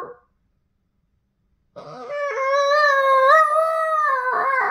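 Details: A very vocal male Boston Terrier "sings" an emotional, moody howl, a long wavering tone that swells and dips after a brief opening yelp.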